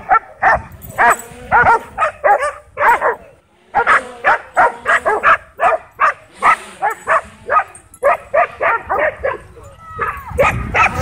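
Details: Several dogs in a wild frenzy over a DJI Mavic 2 drone at a dog park bark almost nonstop, overlapping sharp yaps at several pitches, with just one brief pause midway.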